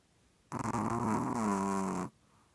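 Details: Pet dog snoring, as it does every night; one harsh, buzzy snore lasting about one and a half seconds with a low voiced drone that wavers and then falls, followed by quiet room.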